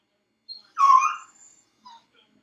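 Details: Felix, a dog left alone in his crate, gives a short, moaning wail lasting about half a second, followed by quiet, with one faint whimper trailing after it.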